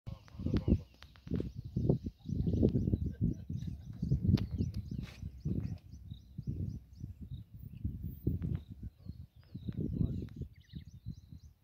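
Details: Cheetah in the Sabi Sand Reserve beside Kruger National Park, South Africa, purring rather than roaring: a steady run of low, rough pulses, with faint bird calls chirping high in the background.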